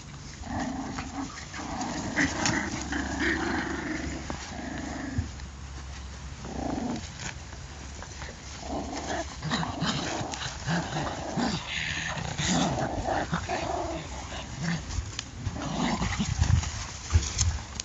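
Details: Patterdale Terrier puppies give a steady low growl for the first five seconds, followed by broken, scrappy growls and snuffles mixed with scuffling and handling noise.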